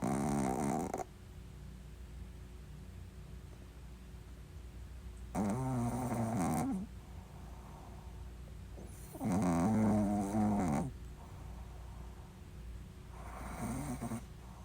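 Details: Pet Shih Tzu snoring indoors: four drawn-out, rasping breaths about four seconds apart, each lasting one to two seconds, with quiet gaps between.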